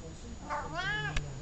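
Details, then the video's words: Columbus, a talkative domestic cat, gives one rising then gently falling meow indoors with rich harmonics, followed by a sharp click; a person softly says the cat's name before and after. "Talkative cat"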